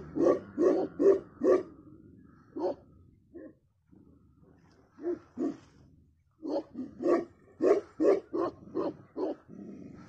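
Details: Tibetan Mastiff, also called Himalayan Sheepdog, Gaddi, Bhotiya, Bakarwal or Do khyi, giving deep repeated barks in quick bursts of four to seven, with a short pause and a low growl between bursts.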